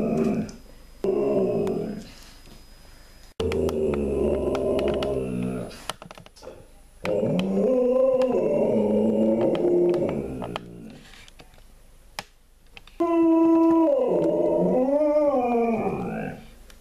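An Alaskan Malamute gives long, wavering howls mixed with rough, throaty woo-woo sounds.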